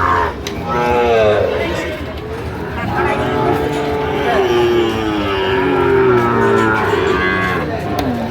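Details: Sahiwal bull calves at Ambari cattle market, where Cumilla farmers buy on 1 September 2025; a calf's drawn-out, harmonic moo rises early, then lower lowing continues beneath steady crowd chatter and bargaining voices.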